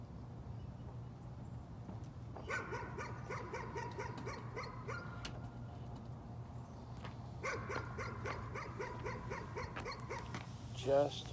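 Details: A dog's nuisance barking, somewhat quieter here, comes in two rapid volleys of short barks separated by a gap, with a steady low hum and a brief louder noise at the very end.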